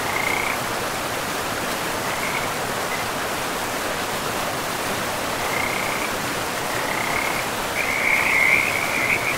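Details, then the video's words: Frogs beside a river in a pristine forest with moss-covered land, giving short high trilled bursts at scattered intervals, strongest near the end, over a steady broad rush of flowing water. "River and Frogs sleep sounds"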